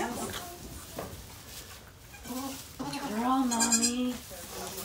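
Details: Mama Maybel, a goat rescued from an ex-breeder and kept at Goats of Anarchy, on the day she gives birth to four kids in her fourth pregnancy. Soft sounds come first, then one long, quavering, drawn-out bleat near the end.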